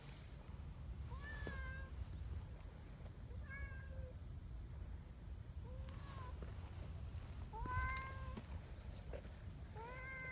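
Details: Friendly community cats on a cold morning, after running along a mountain path to their gathering spot. About five rising-then-falling meows come at irregular intervals over ten seconds, all over a steady low rumble of outdoor background noise.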